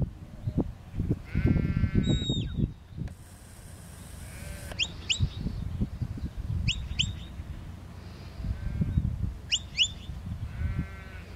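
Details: Sheep in a field under a working border collie; two wavering, nasal bleats, one early and one near the end, with gusty low wind buffeting and scattered high bird chirps between them.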